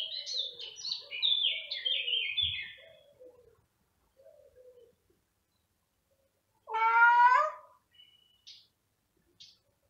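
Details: Male cat searching everywhere for a female cat's scent, meowing loudly; one loud, drawn-out, rising-then-falling meow follows a run of bright twittering bird chirps, then quiet.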